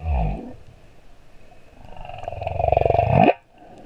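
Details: Singing male humpback whale at Moorea: a low grunt, then a building pulsed rasping moan that swells in loudness and cuts off abruptly.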